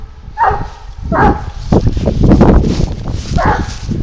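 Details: Garuo, a 22-month-old dog, hunting wild boar on a leash while tracking; three loud single barks spaced about a second or two apart, over low rumbling thuds and rustling movement.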